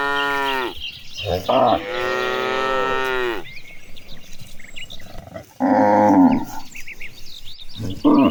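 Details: Gentle cattle being herded toward a green pasture, mooing: a long low moo of about three seconds, a short bellow before it, then a later loud moo after a quieter gap with rustling and faint bird twitters.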